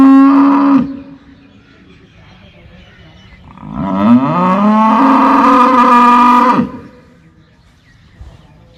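A cow gives two deep, drawn-out moos, the second rising and held strongly.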